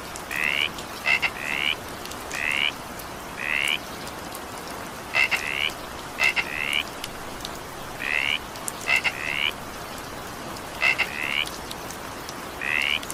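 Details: Frogs calling during evening rain: short, bright, paired chirping croaks repeated roughly every second or two, set against a steady hiss of falling rain.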